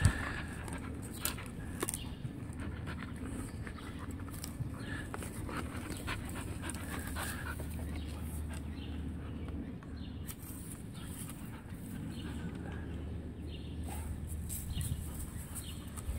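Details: Panting from Ani, a dog at play with sticks: rapid, breathy, rhythmic puffs running through the whole stretch, with a person talking at times against a constant low hum.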